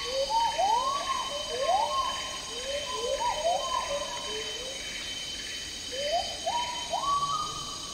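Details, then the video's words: Agile gibbons (Hylobates agilis), also called black-handed gibbons, singing in tropical rainforest in Malaysia: a series of rising, swooping whoops that climb and accelerate into overlapping hoots, over a steady high insect drone. "Agile Gibbon Song & Calls"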